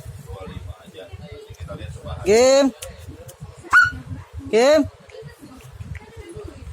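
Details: Village puppy and a small dog in a barking contest in Indonesia; three loud rising whining yelps, the first and last drawn out, a short high one between, over background chatter and speech.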